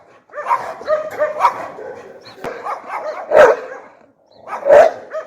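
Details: Pit bull giving loud, angry vocalizations: a run of shorter tonal yips and whiny notes, then two stronger, harsher barks near the end.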